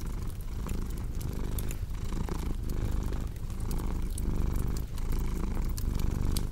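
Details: Strong, even purr from a house cat, throbbing in regular breathing cycles, with crisp fireplace crackles scattered over the low hum.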